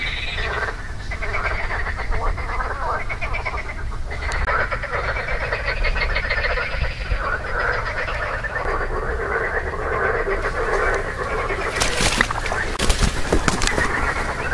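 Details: Marsh frogs croaking on 2 June 2013, vocal sacs inflated, a dense overlapping chorus of rattling, pulsed croaks in the mid range, with low rumbling background noise and a few sharp clicks near the end.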